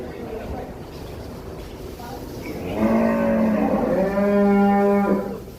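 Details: A big, tall cow lows loudly: after a murmuring crowd, a long, steady, deep moo of about two and a half seconds, rising slightly and holding flat before stopping abruptly, with voices behind.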